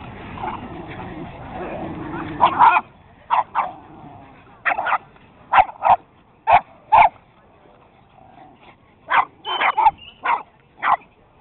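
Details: Small dogs playing tag and chasing, among them beagles, a Boston, a Jack, a Chihuahua and a Puggle; sharp barks burst out in quick clusters of two or three, then a pause and another volley, over a low murmur of background noise.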